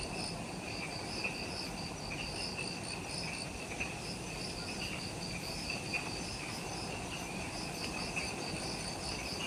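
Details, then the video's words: Insects echoing through the twilight jungle just after sunset on Ishigaki Island, Okinawa, Japan, at the Mount Omoto trailhead: constant shimmering, pulsed trills high up, occasional clicks, and a steady low rumble. "Forest Twilight Sounds – Ishigaki Island | Relaxing Jungle Ambience with Insects"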